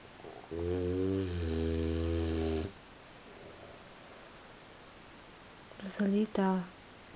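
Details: At 3:45 in the morning, a sleeping French Bulldog gives one long, low, rattling snore, followed briefly by its sleepless owner asking it to stop snoring and change position.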